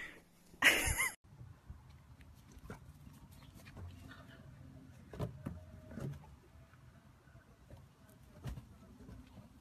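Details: Dachshund kept as a pet lets out one loud, harsh bark near the start, followed by quieter scuffling, soft thumps and light patter against a low background hum.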